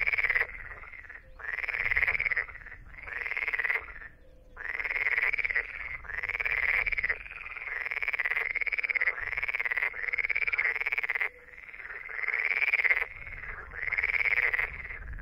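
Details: An edible frog (Pelophylax kl. esculentus) gives loud, rattling croaks in bursts of about a second, repeated with short pauses.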